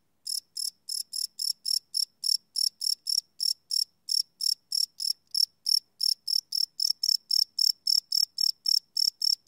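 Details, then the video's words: A long unbroken series of about thirty high, rasping cricket chirps at night, evenly paced near three and a half per second, recorded live on a Sony PCM D100 field recorder. "Cricket Chirp Sound - Cricket Sounds at Night"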